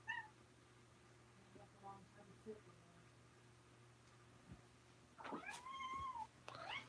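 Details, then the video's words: Domestic kitten at the Alley to Attic cat rescue in Alabama, filmed indoors on 28 May 2018: a brief meow at the start, later a longer arched meow that rises then falls, with a soft human voice and small room noises between. "Alabama Kittens Closeup (and Tabby)"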